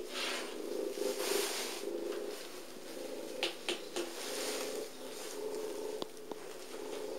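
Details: Sally, a small abandoned patchwork-furred cat with bright white whiskers at North London Cats Protection, purring very loudly: a steady low rumbling drone throughout, with a few soft clicks and handling noises near the middle.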